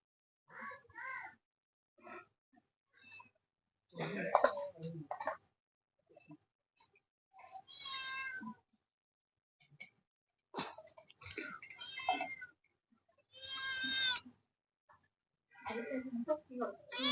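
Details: Domestic cat meowing repeatedly in a small room while a man talks to it, several clear rising-falling meows spread across the recording between bursts of speech.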